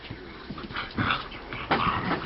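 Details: Two eight-week-old Bullmastiff puppies at play, giving short whimpering yips and low growly grumbles in uneven bursts, while a person talks nearby.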